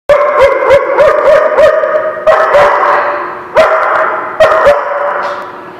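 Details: Dog barking, recorded 16 January 2017: sharp, loud barks with a ringing harmonic tone, first in a quick run of about six evenly spaced yaps, then in slower, heavier bursts separated by roughly a second.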